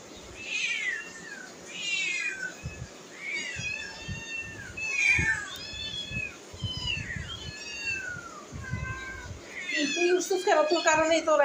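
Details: Domestic cats indoors beside a kitchen where food is cooking; many high, downward-sliding meows repeated in quick succession by several cats, overlapping one another, with a woman talking in Bengali and clattering near the end.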